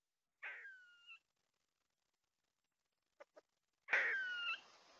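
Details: An eastern gray squirrel (black/grey squirrel) on a trail camera in Tomahawk, Wisconsin, early September 2022, gives two harsh, wheezy mating calls with a thin whining tone, about three seconds apart, with two soft clicks between them.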